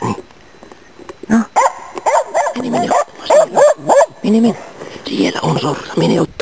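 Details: Nella, a Norrbottenspets hunting dog, barking during an autumn 2010 waterfowl and game bird hunt in Inari, Finland: a fast run of loud, ringing barks, several per second, with short pauses between bursts.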